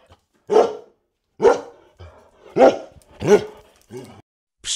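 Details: Dog among farm animal sounds for children, four loud, gruff barks spaced roughly a second apart, with softer grunting sounds between them and a short burst of another sound at the end.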